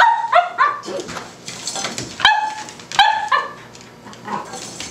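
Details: Indoors, a Cavalier King Charles Spaniel puppy barks at a tuna can, giving short high-pitched yips in small clusters, with quieter gaps and faint clatter between the bursts.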